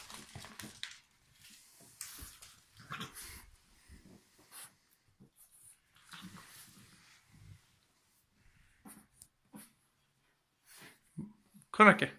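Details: Bulldog puppy asleep and snoring indoors: irregular snuffling, wheezy breaths come in short bursts separated by quiet pauses, ending in a louder, sharper noise.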